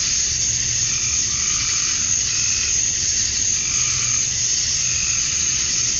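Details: Summer dusk chorus of male cicadas in Georgia, USA, calling to attract females: a steady, shrill hiss-like drone that holds level throughout, with faint rhythmic lower chirps surfacing now and then.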